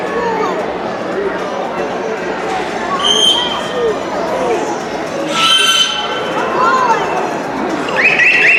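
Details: Captive beluga whales Kenai, Samson and Martha performing at SeaWorld San Antonio on March 25, 2023, vocalizing through the blowhole: wavering whistles and curved squeaks, a bright rising squeal near the end, amid crowd chatter and a presenter's voice.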